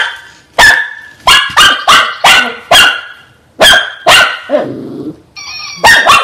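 A Shih Tzu gives sharp, high, yappy barks in quick irregular bursts, with a brief low growl.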